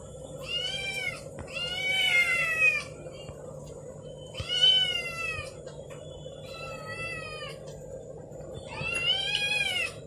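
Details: Several kitties howl as Damri eats an egg indoors; five or so stretched, wavering meows with bright harmonic stacks, some overlapping, sounding plaintive and insistent, with faint background hum and a brief voice.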